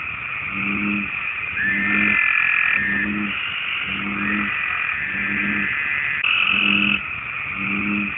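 American bullfrog giving a deep, droning series of evenly spaced notes as a mating call.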